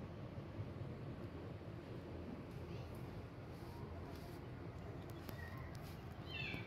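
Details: Kittens demanding milk from their mother as she tries to wean them; a few faint, high, rising-falling meows come near the end, over a steady low rumble like passing traffic.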